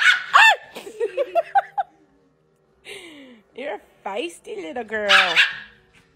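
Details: Pet dog addressed as a feisty little girl, giving a run of short yelps and then drawn-out, wavering howl-like whines that rise and fall in pitch, interleaved with a woman's encouraging talk.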